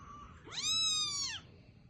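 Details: A young kitten meows to its mother, asking to be picked up; a single clear, high, drawn-out mew lasting under a second, rising sharply then holding steady before dropping away, with a quiet background.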